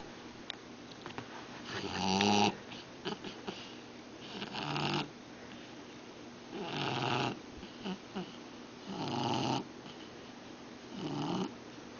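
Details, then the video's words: A sleeping Shar Pei snoring indoors: slow, raspy, snuffling breaths repeated about every two to two and a half seconds, each a rough rising-and-falling rattle. "Sharpei Snoring"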